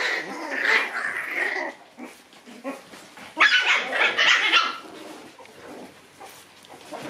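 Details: Two white Shiba Inu brothers fighting: rough, noisy growling and snarling bursts, loudest near the start and again mid-clip, with scuffling sounds between them.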